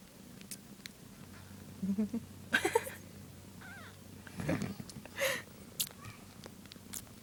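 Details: Newborn kittens, one day old, jostling while nursing; a low continuous purr hums underneath, broken by several short high squeaks and scuffling bursts, with quiet human talk nearby.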